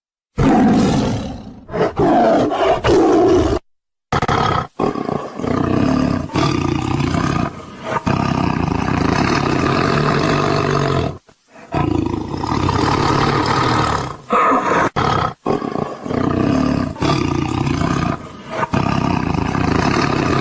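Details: Tiger roar sequence: loud, harsh, throaty bursts with strong mid-pitched harmonics, separated by short silent gaps and sudden breaks, the roars rising and falling in volume.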